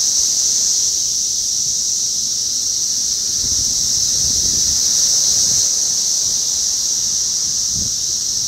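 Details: Brood X periodical cicadas, the 17-year Magicicada, massed near an apartment building in North Bethesda, Maryland, on 9 June 2021; continuous shrill droning hum without pauses, plus soft low thumps and wind-like rumble in the background.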